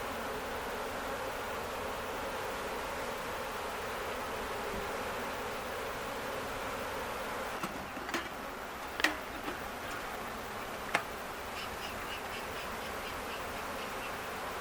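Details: A honey bee swarm caught on May 11 at an Ontario farm, docile and settling into a box of used brood comb, makes a steady, dense hum broken by a few sharp knocks and clicks.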